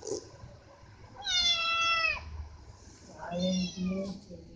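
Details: Pet cat giving two clear, drawn-out meows, each about a second long and gently falling at the end, with a short pause between them. Faint room noise and brief murmuring are heard in the background.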